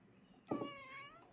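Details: Pet cat, a young female, indoors, calling insistently to her owner: a single clear meow, sharp at onset then a steady drawn-out tone fading after about a second, in a quiet room.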